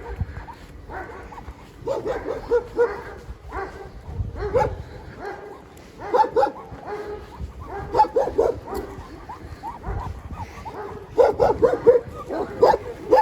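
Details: Overexcited Siberian Huskies, two of them, walking home after a stay at a dog hotel, make a steady stream of short whines and yelps, denser in bursts toward the end, over footsteps and faint background noise.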